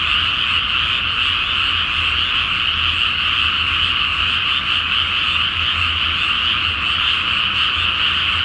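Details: Frogs in a dense night chorus from a flooded rice field before planting, under a full moon in Japan; continuous overlapping croaking forms a steady wall of sound with no gaps.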